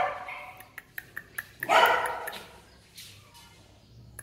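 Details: Dog at a pet dog breeding farm in Yên Mỹ, Hưng Yên, Vietnam, giving a single harsh bark after a run of sharp tapping clicks, followed by fading rustle.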